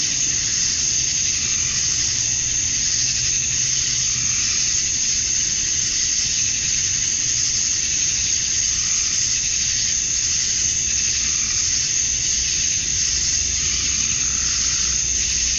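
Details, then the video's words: At dusk on a Georgia summer night, male cicadas sing to attract females, a constant sizzling high drone with slight swells in texture over fifteen seconds and a low distant rumble beneath. "Cicadas at Dusk, Summer Night"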